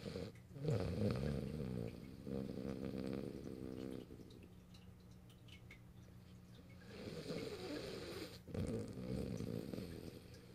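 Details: French Bulldog Morio, recorded 8 March 2012, asleep on a lap at a computer, snoring in loud, fast buzzing rattles. These fill the opening four seconds, fade to a softer steady drone, then rise again.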